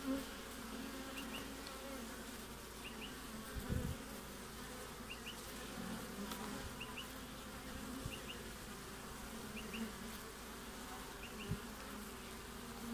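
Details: Hive entrance of honey bees in Australia in mid-winter, 20 June: a dense, even hum of many bees in flight, with occasional close passes and faint paired ticks repeating about every one and a half seconds.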